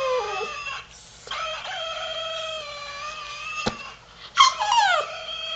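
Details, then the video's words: Havanese dog in the dark, trying to imitate a chicken: long, steady, tonal howls with a strong harmonic ring. A short sliding yelp rises then falls near the end, with brief pauses between the drawn-out notes. "Havanese talking Dog in the Dark"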